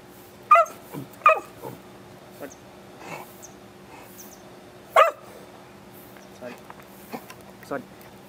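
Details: Beagle Root, excited during an indoor trick session of sit, paw and wait: two sharp barks close together, another bark near five seconds, and scattered soft yips and noises, over a low hum.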